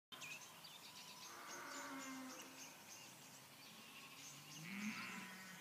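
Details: Sheep in the countryside at night, recorded on an iPad: two drawn-out, wavering bleats, the first near the start and a louder rising one at the end, over a steady high hiss of night insects.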